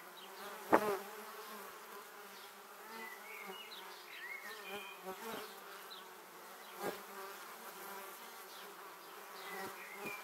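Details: A swarm of honey bees heading to their hive passes close to a Samsung Gear 360 camera; a continuous layered hum with a sharp loud buzz as one bee brushes by early on and other near passes later.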